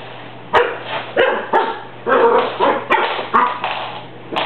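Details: Cocker Spaniel puppy Rusty barks at a broom he dislikes during housework, giving a rapid run of about eight sharp, hoarse barks in under five seconds, each bark a quick rough burst.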